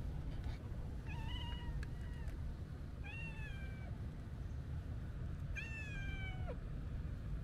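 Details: Three clear meows from a calico kitten, a stray with a hooked tail met at a quiet harbor. Each is drawn out and slightly falling at the end, spaced about two seconds apart, over a constant low outdoor rumble.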